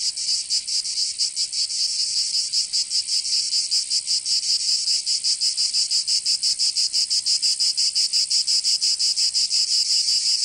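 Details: Summer in Provence, in the south of France, where cicadas fill the air with a shrill, high buzzing that pulses rhythmically and grows more strongly throbbing toward the end.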